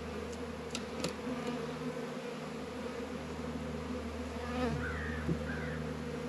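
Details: Warm February day at 72 degrees in a northern Kentucky apiary, honey bees active at the hives; a continuous deep wingbeat hum with a few short clicks at the start and faint passing whines toward the end.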